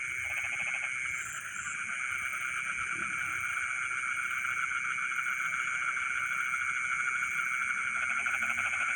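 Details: Midnight rice-field frogs calling together: pulsing trills fade in and out between steady buzzing tones, with thin high insect chirps running throughout.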